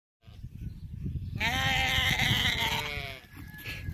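A sheep gives one long, wavering, nasal bleat over steady low rumbling noise.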